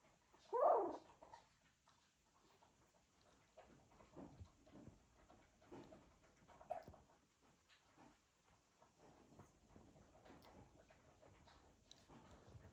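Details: A litter of Cocker Spaniel puppies moving about gives a sharp squeaky yelp, then soft scattered whimpers and shuffling.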